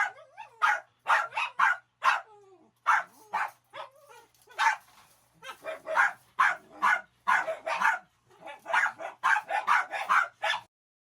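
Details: Dog being taken out to relieve itself, with others joining in: a noisy burst of sharp, high yapping barks, many overlapping in quick irregular volleys, some with brief whiny yelps between.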